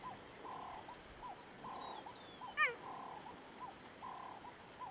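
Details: One loud, abrupt cheetah bark, high-pitched and dropping quickly, recorded in Kruger National Park, South Africa. Behind it runs a steady chorus of rhythmic mid-pitched croaking pulses, with a thin whistle.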